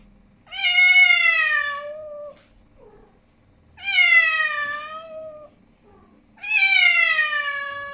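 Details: Angry male domestic cat giving three long, loud wailing meows, each about one and a half seconds, harmonic and slightly falling in pitch, spaced roughly every three seconds, with quiet pauses between and a faint low hum in the background.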